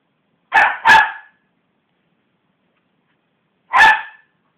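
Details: Westie named Belle barking, provoked by hands bashing on a sofa; two quick loud barks in succession, silence for nearly three seconds, then a single harsh bark.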